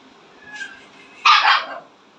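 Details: Siberian Husky gives one short harsh bark after a faint thin whine, in a quiet indoor setting.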